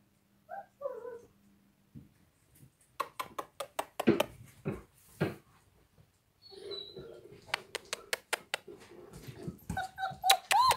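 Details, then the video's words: Dogs playing on a snowy day: short high whimpering whines open the clip and return near the end, separated by a run of sharp crunching and clicking transients with a brief low murmur in between. "dogs playing on snowy day"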